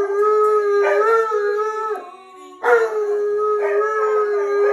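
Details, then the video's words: Tonka, an Alaskan Malamute, howls along to the hymn "What A Day That Will Be" in long, steady, mid-pitched notes, breaking briefly before rising into another drawn-out howl; owner felt he sensed her grief. "Malamute Sings What A Day That Will Be"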